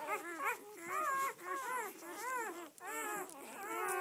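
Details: Several red-rust Doberman Pinscher puppies, a litter of seven females and four males born 7-12-10, on their first day out, giving overlapping high arched whimpers and yelps in rapid bursts with short pauses between.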